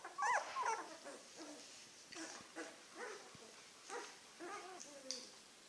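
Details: Litter of Czechoslovakian wolfdog puppies, nine days old and weighing close to 1 kg, some with eyes open, whimper and squeal: a loud wavering whine at the start, then scattered softer whines and squeaks with quiet gaps.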